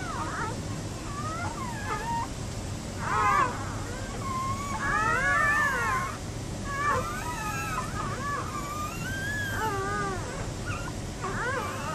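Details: Newborn Giant Schnauzer puppies: repeated squeaky, wavering whines and squeals, several rising and falling, overlapping throughout, with steady low background hum.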